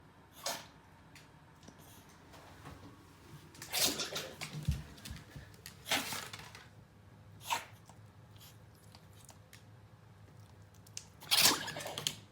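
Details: Pomeranian sneezing repeatedly indoors, possibly from a pollen allergy; a series of sharp, breathy bursts arrive irregularly over twelve seconds with quiet gaps between.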